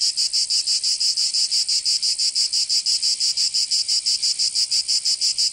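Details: Cicadas singing in summer in Provence, southern France: a loud, high, rasping buzz pulsing steadily about five times a second, unbroken throughout, with no other sounds.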